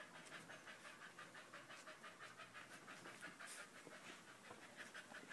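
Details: Soft, rapid panting from Danco, a dog that keeps clinging to a person's leg, recorded 5 August 2013; even, hissing breaths come about three per second against a steady background hiss.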